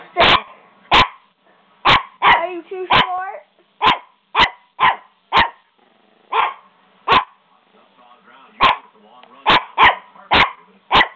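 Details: Small pet puppy named Buster barking excitedly indoors, a quick run of about twenty sharp, loud barks at uneven intervals, with a brief whiny yelp and soft human speech in the gaps.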